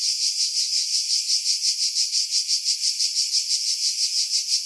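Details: Skiros Island cicadas, July 2018, in pine trees 50 m above the sea at Pefkos Bay, Greece; high, harsh buzz swelling and fading in regular pulses nearly three per second, wind filtered out.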